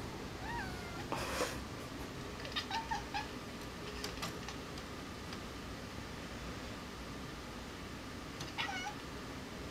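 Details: Sql, a pet kitten indoors chasing a fly, gives short rising chirps at the start, around three seconds and again near the end. A loud thud breaks in early, over a constant indoor hum.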